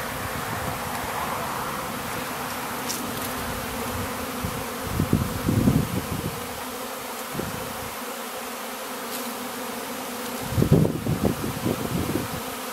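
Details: Swarm of honey bees over flowering rapeseed in April in Ariège, France: a dense, steady droning hum fills the air, with louder low bursts around five and eleven seconds as bees pass close by.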